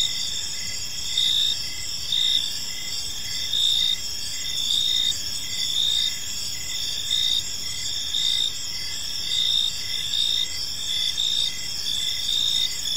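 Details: Crickets in a park as evening falls: persistent shrill chirping in several high layers, swelling in regular pulses every couple of seconds above a soft, steady rumble.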